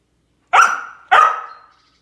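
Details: Samoyed dog chasing squirrels during quarantine gives two sharp, bright barks about half a second apart, each fading with a trailing tail, in an otherwise quiet setting.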